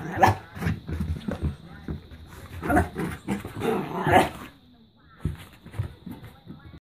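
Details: Smooth Fox Terrier, frightened by a money-box, giving short sharp barks in scattered bursts, loudest near the start and middle, with a person talking in the background.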